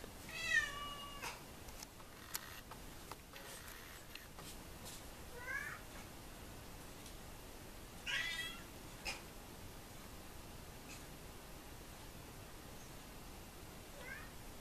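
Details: Two 16-year-old pet cats indoors; several short, clear meows, each rising then falling, at roughly 0.5, 5.5, 8 and 14.5 seconds, separated by quiet stretches with faint clicks and room noise.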